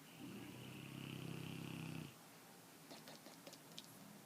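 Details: Sleeping dog with flapping jowls gives one rough, rapidly pulsing snore of nearly two seconds, carrying a thin whistle above it, then quiet with scattered light clicks.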